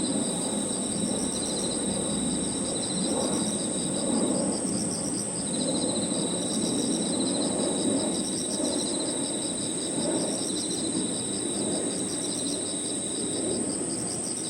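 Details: Crickets with other insects in an evening park, keeping up a constant thin high tone and long stretches of quick pulsed trilling that break off and restart, above a rising and falling low rumble.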